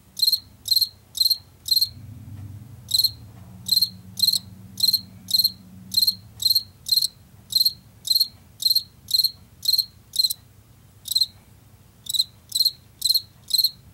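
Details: Washington field cricket, a late summer and fall species, gives high pulsed chirps about twice a second. The chirps pause briefly near the start and again near the end, while a faint low droning hum passes in the background.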